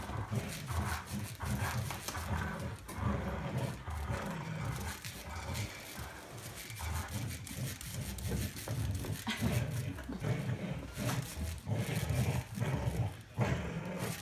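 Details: Two Golden Retrievers, Winston and Roscoe, play tug of war. Deep, continuous rumbling growls fill the recording, broken by brief pulses and pauses.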